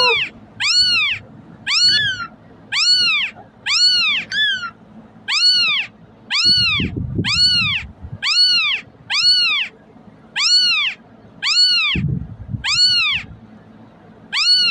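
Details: Kitten crying to attract cats: about fourteen high, arched meows in a near-steady rhythm, a few doubled or with a trailing tail, over low thumping bursts in the background.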